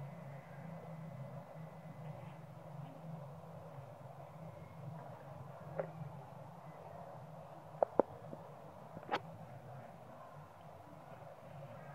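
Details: Quiet low outdoor hum broken by a few sharp clicks near the end, with no animal calls.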